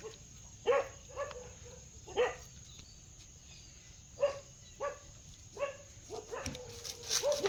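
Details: Dog barks repeated at irregular intervals, about ten short, sharp woofs over seven seconds with quiet gaps between, a faint steady high hiss underneath.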